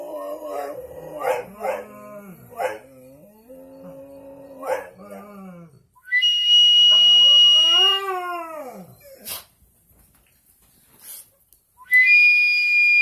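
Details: Dogs howl in drawn-out, quavering notes. They first hold level pitches, then swell into a long arching howl that climbs and falls while a shrill steady whistle sounds over it. The whistle returns at the close.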